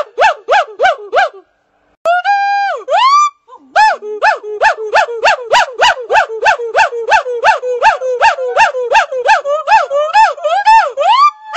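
A red-shanked douc gives a fast run of sharp, rising-and-falling yelps, about three each second.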